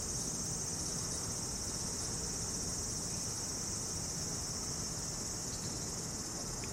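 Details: Insects singing in a Japanese summer around a traditional house: a constant high-pitched whirring band that never breaks, with a soft low background rumble.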